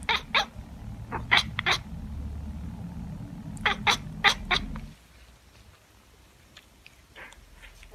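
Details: Tabby cat chattering: rapid clusters of clipped, clicky chirps in two bursts, then the room falls quiet with only faint scattered ticks.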